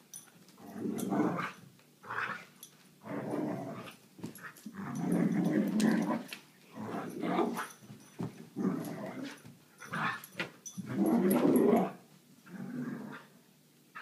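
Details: Vizsla dog growling while playing with a toy indoors: bursts of low, rough growls lasting one to two seconds, repeated about every second or two with short pauses between, some rising into whiny tones.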